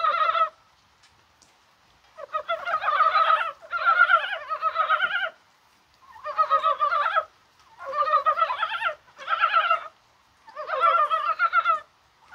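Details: Mountain brown frogs croak in rainfall on 21 January, a warm, spring-like day, perhaps at egg-laying. Dense chuckling pulse bursts come one after another, with several overlapping callers and brief pauses.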